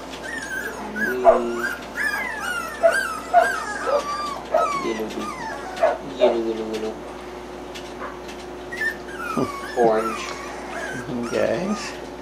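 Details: Three-week-old puppies, just fed and roused when their mother briefly jumped in, give thin, curving whimpers and whines in short bursts every second or two, with a person talking softly over them.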